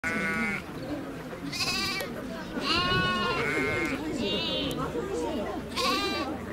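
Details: Lamb of domestic sheep at Nasu Animal Kingdom, Tochigi, Japan, recorded 29 April 2018; several wavering, harmonic-rich bleats, each about half a second, rising and falling, with low crowd murmur and chatter underneath.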